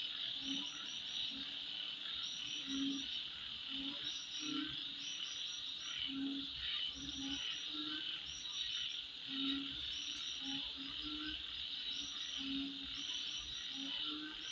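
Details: High, even buzzing of insects at midnight runs throughout, overlaid by rhythmic low croaks and bursts of sharp high chirps repeating every second or so.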